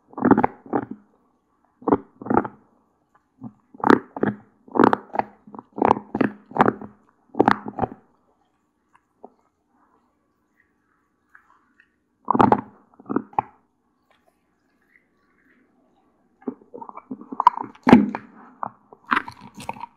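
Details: One-year-old female Doberman Pinscher named Cola, living in California, gnawing an unprocessed deer antler treat: loud crunching and grinding bites in quick clusters, a long quiet pause, then more scraping chews.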